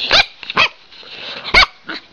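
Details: Female pet Siberian Husky, seemingly wanting to tell her owner something, gives four short, bright barks in about two seconds, the third the loudest, indoors with quiet room noise between.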